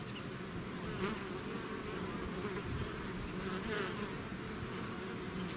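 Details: Swarming bees outside their hive make a steady, dense buzz, low humming bands with small pitch wobbles and occasional nearer passes, unbroken throughout.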